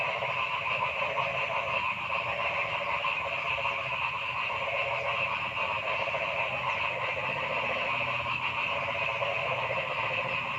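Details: Many frogs in a forest keep up a loud, constant chorus of stacked, buzzy pulsed calls, with individual croaks swelling briefly above the steady din.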